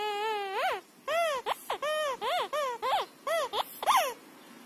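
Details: Female Siberian Husky playing with a squeaker football, voicing a quick series of about ten arched, whiny yelps that rise and fall in pitch, some drawn out, others clipped, packed into four seconds with short gaps between.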